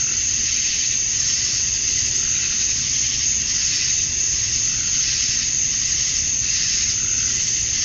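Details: Evening cicada chorus on a Georgia, USA summer night, males chirping to attract females: loud uniform sizzling drone that gently swells and fades in places, over quiet low background noise.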